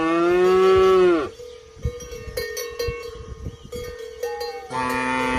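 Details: {'caption': 'Cow moos loudly for a second, then a clanking cowbell rings with steady metallic tones for several seconds before another moo begins.'}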